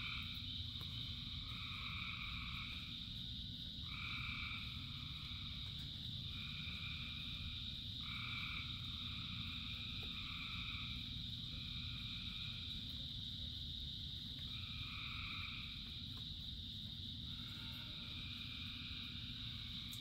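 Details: Frog chorus during rain: repeated one-second trilling bursts at two stacked pitches, some overlapping, over a ringing high drone and steady rainfall.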